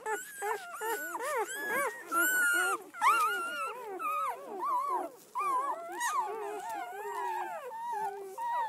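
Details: Red-rust Doberman Pinscher puppies from a litter of seven females and four males, out for the first day; shrill squealing whimpers that rise and bend, several pups calling at once in bursts separated by short pauses.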